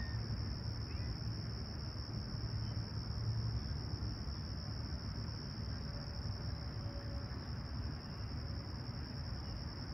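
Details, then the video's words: Crickets chirping during a calm Toronto sunrise, Humber Bay Shores, late July 2020, 20ºC: a level high trill runs without break, over low rumbling noise with a few faint distant tones. "Serene Summer Toronto Morning With Chirping Crickets"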